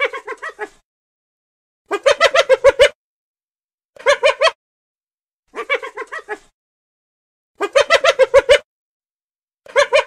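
A hyena gives bursts of rapid, staccato giggling notes, each bout lasting under a second.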